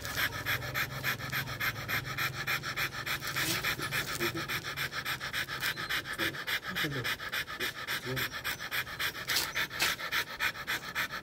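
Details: Rottweiler during mating, breathing in quick rhythmic pants, roughly three to four per second and steady throughout, with faint voices in the background.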